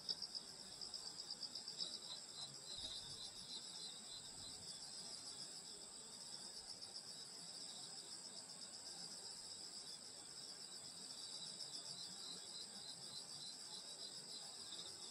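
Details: Summer night in rural Korea at a grandmother's house, grass insects calling: layered high-pitched trills pulsing rapidly and evenly, a constant shimmering chorus throughout.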